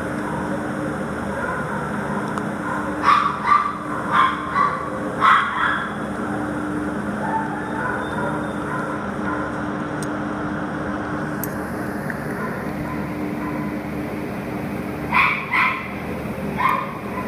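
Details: Adoptable terrier listed on Petango.com, 10 September 2015, late morning: clusters of quick yapping barks early on, then a quiet stretch with steady background hum, before another short run of barks near the end.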